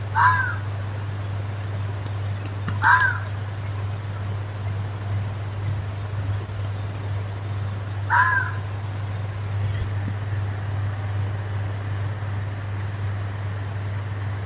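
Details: A fox screaming in a forest gives three short, harsh, hoarse screams, spaced a few seconds apart, over a steady low hum.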